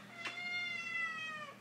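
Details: Kitten climbing onto a person holding it indoors, giving one long drawn-out meow, steady then falling at the end, with a brief click near the start.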